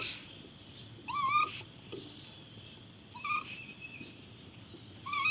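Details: Caged raccoon crying: short, whining rising wails with a nasal buzz, repeated three times a couple of seconds apart, with faint background hiss between them.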